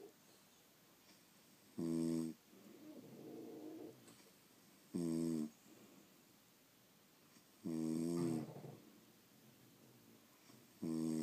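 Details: Pet French Bulldogs asleep indoors, snoring in a steady rhythm of roughly one loud buzzing, rattling inhale every three seconds, with softer wheezy exhales filling the gaps between them.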